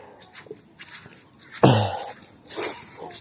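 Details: Pet goat at Sitio Ramang, Buldon, recorded on the first Saturday of 2025: one loud, abrupt bleat about half a second long, harsh and falling, set against quiet rustling and soft footsteps.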